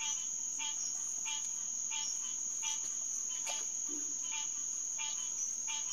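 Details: A green tree frog (Hyla cinerea) chorus calls at a refuge headquarters pond at about 9:10 pm on 2 June 2021, giving brief, nasal, bell-like honks every half second to second under a continuous shrill buzz of night insects.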